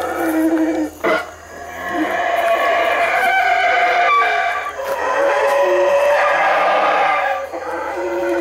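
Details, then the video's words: Howler monkeys in Belize treetops, very loud; overlapping roaring howls form a harsh, steady wall of sound with a short break near the start and wavering tones throughout. "The Call of The Howler Monkey"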